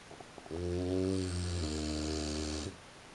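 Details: Sleeping French Bulldog at 3:45 a.m. producing one long, low, droning snore of about two seconds, buzzy and steady, with a slight step down in pitch midway, then quiet room hiss.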